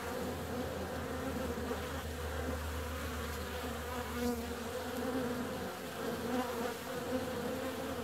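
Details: A warm February day brings honey bees out flying: a continuous buzzing swarm sound, with a deeper hum strongest in the first half and a few near passes standing out.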